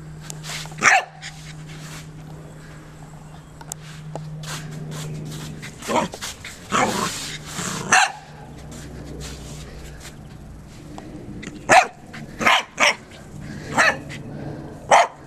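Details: Little corgi Joy runs and barks repeatedly: scattered sharp barks early, breathy noisy bursts in the middle, then a closing flurry of five quick barks, with a low steady hum in the background.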